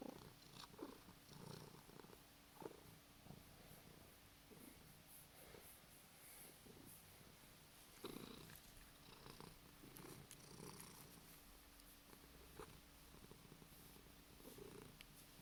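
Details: Domestic cat making sleepy noises, a low continuous rumbling purr held throughout with soft rhythmic pulses and faint breathy sounds in a quiet indoor room.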